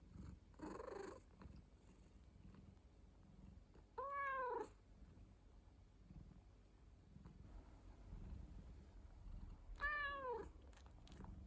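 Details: House cat kept as a rescued pet, a muffled noise early, then two clear falling meows at about four and ten seconds, low purring beneath and quiet indoor background.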